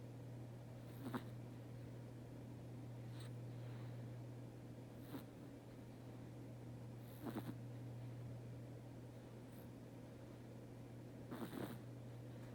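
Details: Sleeping house cat snoring quietly in a small room, with scattered soft rasping breaths at uneven gaps of one to four seconds over a constant low hum.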